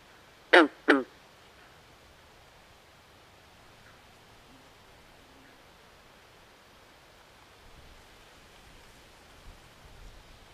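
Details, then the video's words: Swamp at night with frogs: a quick pair of loud, rasping, falling croaks at the start, then near silence with soft ambient hiss and a few faint distant sounds. "Natural Ambient Sounds Of Frogs At Night"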